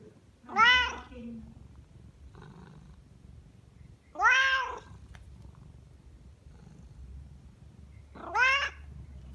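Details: A hungry male Siamese cat begs for his meal with loud, drawn-out meows that rise then fall, about every four seconds.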